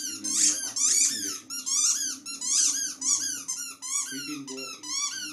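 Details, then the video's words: Dog howling indoors in a run of high, wavering squeaky yowls, each rising then falling, repeated roughly every half second with short breaks, over a steady low hum. "Poppy howling"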